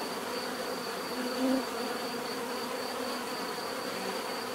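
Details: Continuous buzzing of many bees, a steady low droning hum with a brief louder swell as one bee passes close around the middle.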